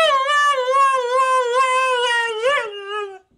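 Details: Female dog "talking" indoors in reply to being asked about a walk: one continuous, rich, wavering howl lasting about three seconds, wobbling rapidly in pitch and rising briefly near the end before stopping; the owner speaks afterwards.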